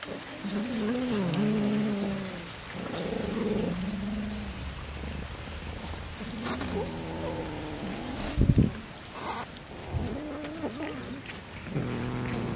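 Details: Pet cat being fed fish, giving several drawn-out, wavering meows that bend up and down in pitch, with a steady hiss like rain and a few sharp knocks in the background.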